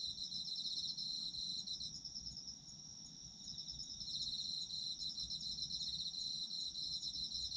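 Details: Autumn insect chorus meant for sleep: high-pitched pulsing trills and a constant shrill ringing, dipping quieter for a couple of seconds mid-way before returning full, with faint low ambient noise.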